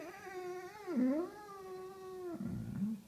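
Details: A Basset Hound gives a long, wavering howl that dips and rises, then breaks into a rougher, lower moan; he howls like this every time he is told it's time to go home.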